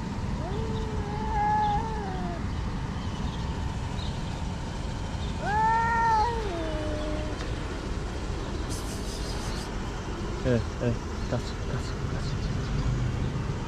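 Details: One of six hungry abandoned cats gathered inside a garden in Morocco gives two long, wavering meows with a bent, falling end, about four seconds apart, then brief clicks and a short rustle over constant low vehicle noise.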